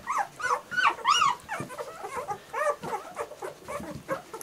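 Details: German Shorthaired Pointer puppies whining together, a litter giving high arched whimpers and yelps that rise and fall, overlapping in quick succession with brief pauses between bursts.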